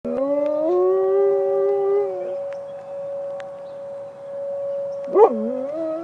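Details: Malamute Great Dane mix howling at emergency sirens during a siren test: a long, smooth, slightly rising howl lasting about two seconds, then a steady siren tone, then a short wavering howl near the end.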